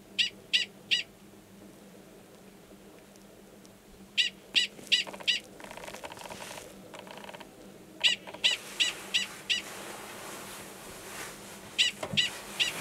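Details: Gunnison's prairie dog male calling before going underground to mate with an estrous female, Valles Caldera, New Mexico, March 2017; bursts of three to five shrill yips with gaps, and a rustling wind-like hiss in the middle.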